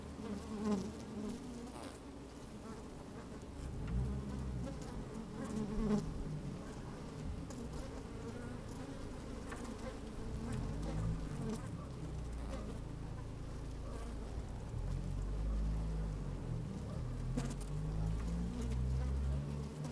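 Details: Bees at work inside an open hive on a fine, sunny day, microphone slid down among them: a steady low hum with harmonic bands, partly masked by deep wind rumble, with soft shuffling and scattered clicks.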